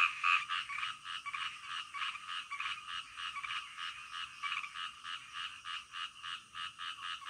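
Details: Night-time frog chorus: many frogs croaking together in quick, rhythmic rasping pulses, roughly three or four a second, steady and unbroken throughout, with a calm background and nothing else audible.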